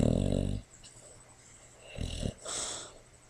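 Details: Sleeping, dreaming female Boxer rescue dog in foster care on a person's lap gives a loud rattling snore, then softer snuffling breaths and a short wheezy exhale.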